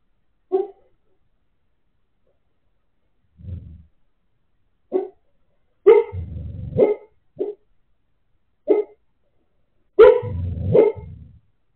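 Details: Siberian Husky barking in its sleep indoors: short, muffled woofs scattered irregularly over twelve seconds, some in close pairs, with soft low breathy huffs between them in a quiet room.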